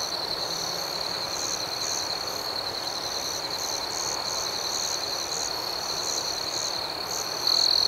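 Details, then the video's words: Crickets chirping at night outdoors: a steady, high, ringing trill runs throughout, layered with softer pulsed chirps repeating about four times a second, and one louder, closer trill rising near the end. "Soothing Cricket Sounds"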